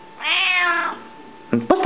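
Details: Rika, a hungry house cat asking for food, gives a drawn-out meow that rises slightly and then slides down, with a faint steady hum, then a woman's voice speaking Latvian to the cat.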